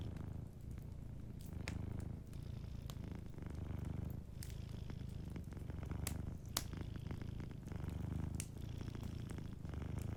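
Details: A sleeping cat keeps up a deep, even purr in a cozy fireside setting. The rumble pulses with inhale and exhale about every two seconds, and scattered crackles from the fireplace sound over it.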